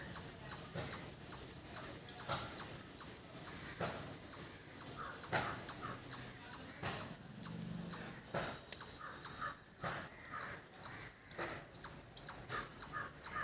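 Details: Squirrel in village surroundings sounding a long, even series of high, piercing chirps, roughly two per second, over faint background noise.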